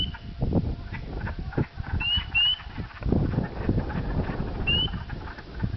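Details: Spring peepers near Dowling, Sudbury, Ontario, on the dark evening of April 5, 2010, calling unusually early in the year due to warm weather, give short, high, upslurred whistled peeps over a low rumble of wind and handling noise.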